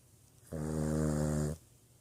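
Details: Boston Terrier giving a single loud snore about one second long, a rich, steady, droning buzz with a low hum underneath.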